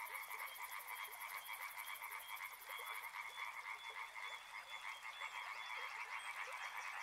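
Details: Frogs in chorus near a river, croaking in fast, loosely timed pulses that blend into a rough continuous rattle; a shrill high pulsed trill sounds during the first three seconds, then stops.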